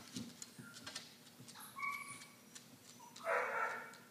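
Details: Nine-week-old Cardigan Welsh Corgi puppy Benji, a new pet, lets out thin steady whistled whines, then a louder, broader rising whine near the end, over faint background thumps and rustling.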